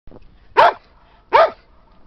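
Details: Sam, an English Springer Spaniel, having fun in a snowy park with Skippy the Weagle; two sharp, loud barks roughly three-quarters of a second apart, with quiet snowy background between them.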